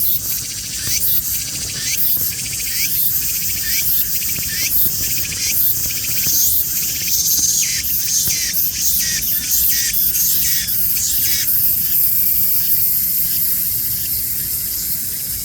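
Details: A cicada sings while slowly creeping along. A high, hissing buzz is broken into pulses that repeat about once a second over a dense, continuous shrill drone.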